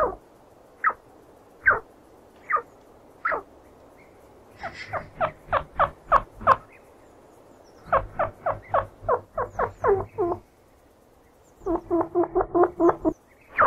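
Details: Chinchilla calls opening with spaced single chirps, then building into dense runs of short, grating notes repeated several times a second, ending in a tight final cluster.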